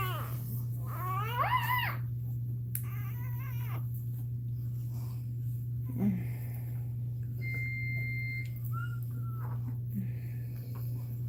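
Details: Indoors during Cashmere's labour, a Cane Corso gives one wavering, arched crying whine, then falls quiet with faint soft squeaks, a thin electronic tone and constant mains hum behind.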